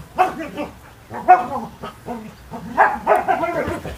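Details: Border Collie playing tug of war, giving short, strained barks and whiny yelps in irregular clusters, with four main bursts of noisy, harmonic-rich vocalising spread across the stretch and brief pauses between.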